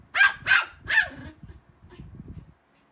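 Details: Pomeranians at playtime, barking while running around and chasing each other: three sharp yappy barks in quick succession, then softer scuffling and pattering sounds before silence.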